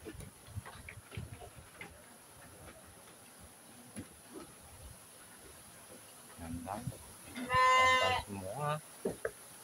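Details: Sheep at Selanjam Farm, Cokro, Grabag, filmed on 24 May 2022 during a health check: a quiet, noisy stretch with faint voices, then one loud, tremulous bleat near the end.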